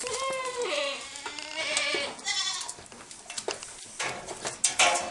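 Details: At BSL Farm, Gunung Sindur, Bogor, in Indonesia, Saanen dairy goats give quavering, wobbling bleats that step up and down in pitch during the first two seconds, followed by fainter cries and sharp knocks and clatter.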